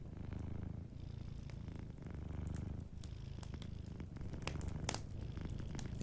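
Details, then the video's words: Gentle purring of a sleeping domestic cat by a fireplace: a low, even rumble with slight breath-linked swells, accompanied by frequent crackles and a few louder pops of burning wood. "a Sleeping Cat 🐱💤Fireplace & Soft Purring"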